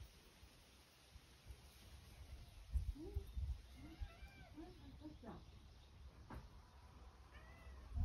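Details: Sacchan, a rescued male cat living at Kazeno Kobo, meows to be let outside: a run of short arched meows from about the third second, then softer scattered mews over a low steady indoor hum.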